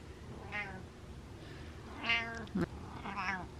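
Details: Pet cat meowing at its owner as if telling her off: three short harmonic meows about a second and a half apart, the middle one loudest, with a brief sharp click-like sound just after it; quiet indoor room.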